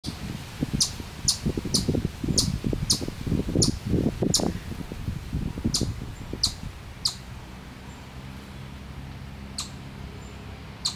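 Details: Chipmunk in Miller Park, Upper Arlington, Columbus, Ohio, USA, sounding a predator warning: sharp high chips repeated about every half second, partly over low rumbling noise in the first half.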